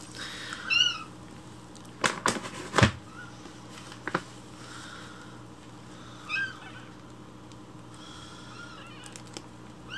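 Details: Rescued baby kittens crying loudly for their morning milk while it is prepared indoors; a few high, arched meows spaced seconds apart, broken by sharp clattering knocks and a steady hum.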